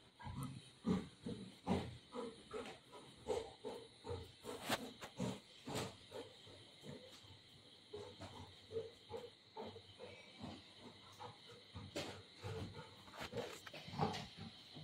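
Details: Golden retriever Buzo, playing with its mother, gives a long run of short, rough growling grunts, several per second with uneven spacing, under a steady background hiss, with snatches of nearby talk.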